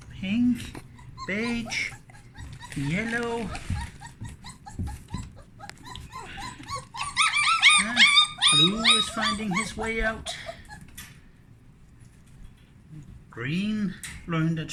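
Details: Puppies let out to explore their whelping box after the blankets were changed; bursts of shrill, rising and falling whimpers and screams, at times many pups at once, then quieter gaps, with a person speaking.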